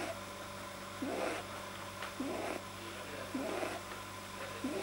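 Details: Pet rabbit, checked by a vet, whose soft palate is probably too long, making odd noises while deeply relaxed, recorded 9 January 2010: short nasal grunting sounds, each with a low bend, repeated roughly every second against a steady indoor hum.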